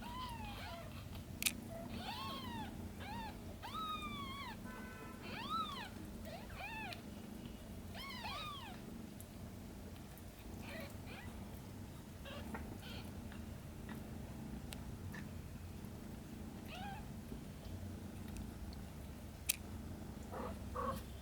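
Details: Domestic cat Shin caring for her aunt Camel's kittens; a run of rapid high arched meows fills the first half, then only faint scattered calls and a few soft knocks over a low hum.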